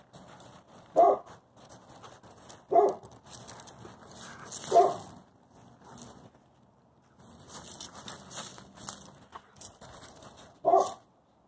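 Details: Two wolfdogs, German shepherd husky mixes, play fighting over a stick as Peaches pins down Covi: four sharp, loud barks about two seconds apart, with soft snuffling, rustling and scuffling between them.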